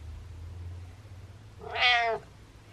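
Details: Indoor pet cat bragging to its owner with one loud, rising-then-falling meow lasting about half a second, strongly harmonic, after a quiet stretch with low background hum.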